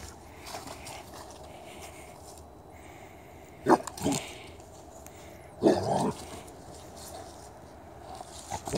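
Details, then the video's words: Dog in a basement stairwell, after taking a small drink of water, barking at the person recording because it wants to play: two sharp double barks a couple of seconds apart, with a third starting at the end, over quiet room hum. "Dog in basement stairwell and beyond, getting a little drink of water and then barking at me."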